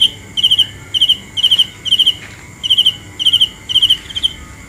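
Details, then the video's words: Cricket at night giving high, sharp chirps built from three or four fast pulses, repeated roughly twice a second with small irregular pauses. "The best sounds of Cricket 《 Suab Kab Ciliv Quaj Zoo Heev》 ( ສຽງແມງຈີ່ນາຍຮ້ອງດີໆ )"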